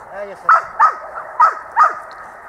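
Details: Itus, a dog at dog school, 8 December 2013, barks four times in quick succession, each bark short and punchy, about three to four per second, with faint speech between them.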